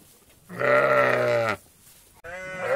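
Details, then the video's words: Sheep from a flock in a meadow: one long, steady, nasal bleat lasting about a second, followed after a short pause by the start of a second, wavering bleat. "Flock Of Sheep"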